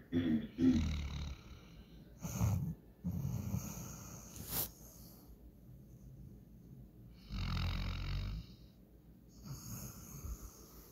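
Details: German Shorthaired Pointer named Walker passed out asleep and dreaming, giving irregular snorting snores and breathy rumbles, with a sharp click midway and longer low snores later.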